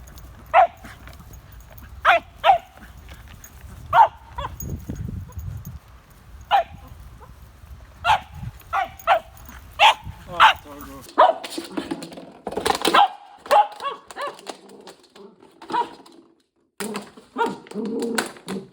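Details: Louis Philipp, a tricolor Cavalier King Charles Spaniel kept by a Munich, Germany family, barks repeatedly in short sharp yaps, sometimes paired, over a steady low rumble, becoming denser and more cluttered with other noises toward the end.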